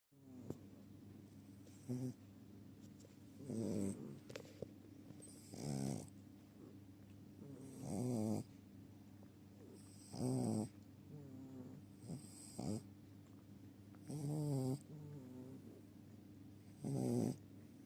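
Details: Sleeping Chihuahua snoring in a steady rhythm, each low, throaty, rasping breath swelling and fading roughly every two seconds, with quiet hiss between snores and a soft woman's voice at the end.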